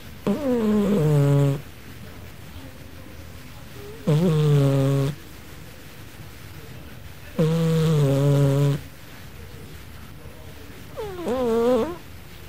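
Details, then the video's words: Sleeping house cat Gigi snoring like a man asleep, four loud buzzy snores roughly every three seconds, each a steady low drone of about a second, with near silence in the pauses inside a small room. "Gigi roncando 😸 Quem tem gato que ronca igual gente?"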